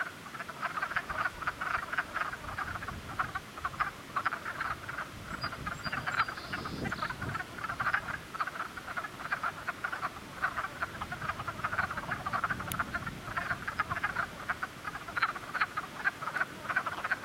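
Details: Spring cluster of frogs calling together: dense, overlapping short croaks stacked in rapid pulses, mid-pitched and continuous throughout, with a faint high whistle near the end.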